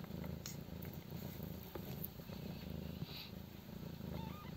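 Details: Stray mother cat nursing five 12-day-old kittens born in a doghouse on a private property; a steady low rumbling purr pulses throughout, with faint scattered clicks and rustles above.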